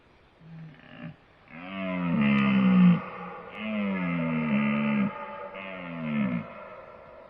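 Deep, groaning bellows from a deer come in a short series of three, each rich and throaty and held for about a second. The calls swell and then fade, separated by brief pauses.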